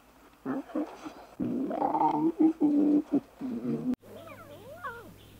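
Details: Young lions at play: rough, throaty growling grunts come in quick bursts, followed by thin, sliding mews over a low steady hum.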